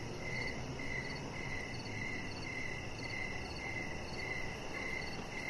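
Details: Crickets in the evening outside near a deck: clear, evenly spaced chirps, nearly two per second, with a softer echoing overtone and steady low ambient rumble.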